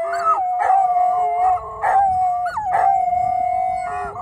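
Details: Dogs in Thessaloniki howling together in a 'singing' chorus: long, steady, tonal wails with a few bending, wavering notes and short breaks between them.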